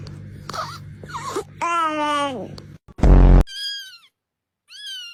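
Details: Domestic cat giving a drawn-out, wavering meow that slides downward at the end, with a short loud burst and a thin rising cry after it; human speech and noise before it.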